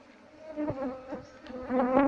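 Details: Asian honey bee (Apis cerana) colony being moved from its nest into a hive box while comb is cut away; a steady, low droning hum with rich overtones, swelling louder toward the end.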